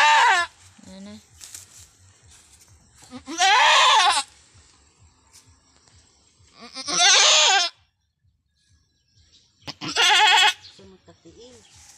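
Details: Domestic goat on a small backyard farm, a first-time mother during a difficult birth, gives loud, strained, quavering bleats lasting about a second, repeated every three to four seconds, with quiet rustling and soft voices between.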